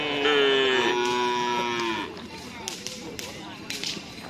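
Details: Cattle at karapan sapi bull-racing practice at Asemanis field, Pamekasan; a loud harmonic moo glides slowly downward for about two seconds, then fades into scattered sharp cracks and crowd noise.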